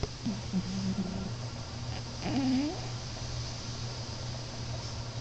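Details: Snores from Alex, a pet cat nicknamed Moo, fast asleep: a short flat whistly tone, then after a pause a brief rising nasal note, set against a steady low hum.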